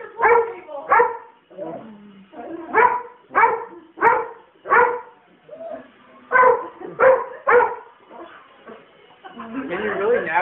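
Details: A German Shorthaired Pointer, angry at a passing helicopter, barks in short, sharp bursts, often two or three in quick succession.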